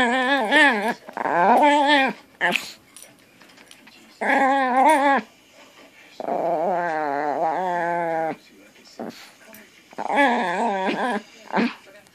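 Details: Dog making odd grr sounds while playing with a new toy indoors; wavering, tonal grumbles in bursts of about a second, some longer and steadier, separated by short quiet gaps.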